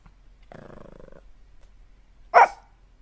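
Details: A puppy gives a low, rumbling growl lasting under a second, then after a short pause one short, loud bark.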